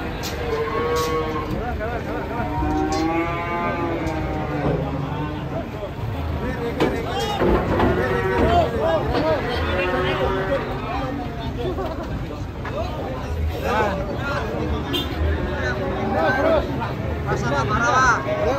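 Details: Raging, agitated cattle bellowing: long harmonic moos, some wavering and rising, follow one another across the clip over a steady rumble of voices and background noise.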